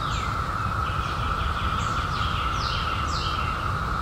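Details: Brief stretch of a cicada chorus, insects out in 2021 after a 17-year hiding: a level sustained hum, with a bird's quick downward-sweeping chirps repeated several times and a low rumble below.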